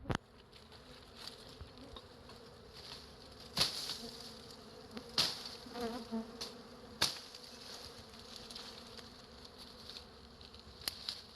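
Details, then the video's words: Bees swarming over a large wild beehive that hangs from a tree branch in a natural forest, giving a soft, steady buzzing hum broken by several sharp clicks or taps near the fourth, fifth and seventh seconds. "Wild Beehive in Natural Habitat"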